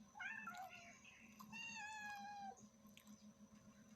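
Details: A mother cat with her kittens, meowing loudly: two quick harmonic mews, then a long, steady, slightly falling meow lasting about a second, over a constant low indoor hum.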